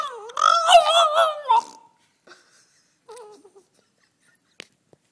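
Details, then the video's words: Two-year-old French Bulldog, relaxed and 'in conversation', vocalizing: a drawn-out, wavering, harmonic howl-like sing-song note of about one and a half seconds, then after a pause a shorter, softer wavering note, and a faint click. "Bouledogue français qui chante"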